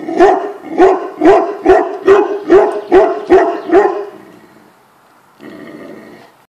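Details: A Tibetan Mastiff gives a steady run of eight deep, loud barks about every half second, then falls quiet before a brief, softer rough noise near the end.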